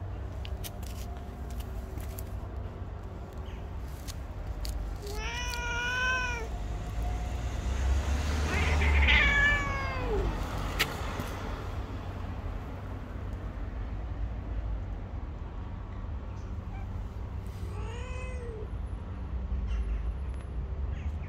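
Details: Angry white stray cat living on the street, giving long drawn-out harmonic meows that rise then fall, one near five seconds, a louder overlapping one around nine seconds, another near eighteen seconds, over steady low traffic rumble.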